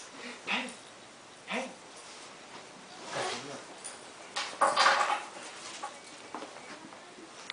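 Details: Indoors, a Lhasa Apso dog eagerly awaits his owner's return, letting out short whimpering whines, then a louder burst of yelping, with a person speaking softly in the background.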